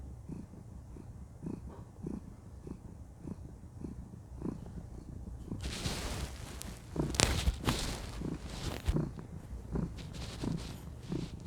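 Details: Purring female cat, content while being cuddled; a low rhythmic rumble is clear for the first half, then rustling and handling noises overlay the continuing purr.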